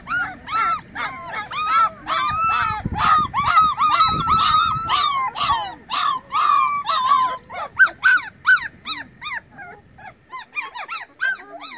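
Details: A litter of puppies, eyes just opened, calls out for the missing mother dog with loud, rapid, high-pitched yelps and whines. The cries crowd together at first, then thin into separate squeaks toward the end.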